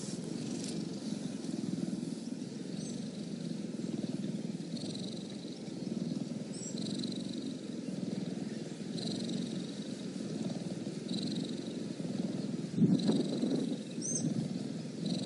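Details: A cheetah purrs in a steady, deep, buzzing drone with rapid rhythmic pulsing throughout. Faint short chirps sound high above it at intervals, and there is a brief rustle near the end.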